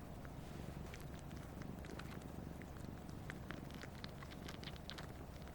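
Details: A year-and-a-half-old Siamese cat purrs while sucking its owner's finger, the only time it purrs. The purr is a low, steady, continuous rumble with soft clicking sounds above it.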